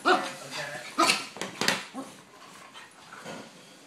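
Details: Yorkshire Terrier playing with a German Shepherd: a clear tonal yelp opens, then sharp high yips and short barks come in quick bursts near one second and again a moment later, fading to softer grumbles and faint voices.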